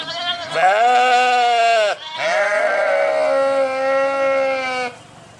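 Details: Sheep bleating in two long, loud harmonic calls, the first wavering and dropping at its end, the second steadier and held for nearly three seconds before stopping abruptly.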